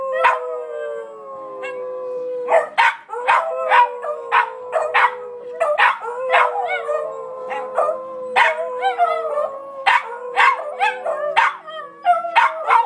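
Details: Four Beagles howling together in a spontaneous group song: long wavering tonal howls that slide slowly downward, overlapped by frequent short rising yelps and barks, voices layering into a continuous chorus.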